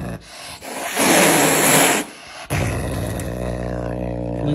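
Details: Caracal known as Floppa Marx hissing while eating: a loud, breathy hiss of about a second, then lower growling rumbles, with a woman talking in Russian nearby.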